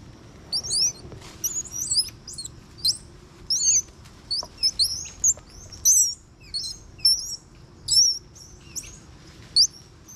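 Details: At Ishigaki Yaima Village, Ishigaki Island, Japan, one- to two-year-old Bolivian squirrel monkeys tussle in play; short bursts of shrill chirps and squeaky whistles come in clusters roughly every half second to second, over quiet low background noise.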